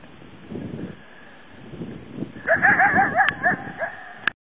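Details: A wild coyote bark-howls toward an unseen presence, suspected to be a mountain lion. Outdoor rumble gives way to a quick run of five or six arched, yipping barks. A final sharp note cuts in at the end.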